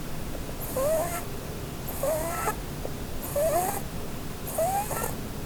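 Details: Under a Christmas tree, Blueberry the Holland Lop rabbit sleeps and dreams, giving four rising, wavering whistled snores, each with a breathy hiss, about a second apart.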